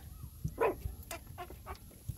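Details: Puppies suckling from their mother, giving short high whimpering squeaks, one louder rising yelp near the start followed by a few fainter cries, with soft smacking and rustling beneath.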